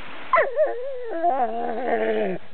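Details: Dog at play with its rock, producing a drawn-out whimpering whine that starts high, dips, then holds a wavering tone before trailing off.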